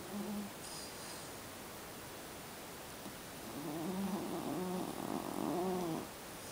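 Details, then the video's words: Napping Jack Russell Terrier puppy snoring heavily: a short rough breath near the start, then a longer, louder stretch of rattling, fluttering snores over the last few seconds, indoors with low background hiss. "A Snoring Puppy"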